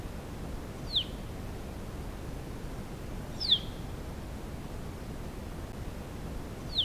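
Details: A reference recording of a cougar (mountain lion, Puma concolor) giving short, high, squeaky chirps that drop quickly in pitch, spaced a few seconds apart.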